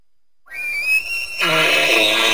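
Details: Elk, also called wapiti, giving a high thin whistled tone that breaks abruptly into a loud, harsh, broadband roar.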